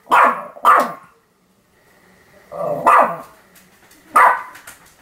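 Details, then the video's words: Sam, a Pomeranian dog, barking continuously, recorded 7 October 2015: two sharp barks close together, a pause with faint background hum, then two more spaced barks, each bright and yappy. "犬の鳴き声 ポメラニアン サムの連続吠え"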